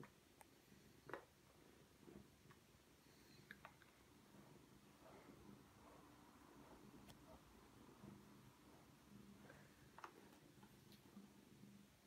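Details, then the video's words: Wiske, a pet cat, purrs contentedly while being brushed and held like a baby indoors; a faint, steady low rumbling purr runs throughout, with soft whispering and light brushing clicks over it. "Cat loves getting brushed"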